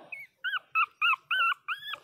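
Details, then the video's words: Pinscher puppies, 22 days old, crying loudly: six short whining cries with a rising then falling pitch, spaced roughly every third of a second, clear and close. "Filhotes de pinscher beby cute de 22 dias chorando alto"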